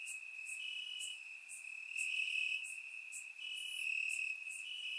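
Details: Warm summer night in Bulgaria with crickets chirping in the grass; constant bright trilling tone, layered callers alternating in strength, faint sharper ticks above, otherwise quiet.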